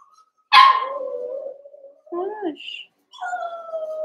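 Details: Young Cavalier King Charles Spaniel puppies at play in a pen, eight littermates together: a loud yelp sliding into a long falling whine, then a wavering two-tone whimper and a steady, drawn-out high howl-like cry.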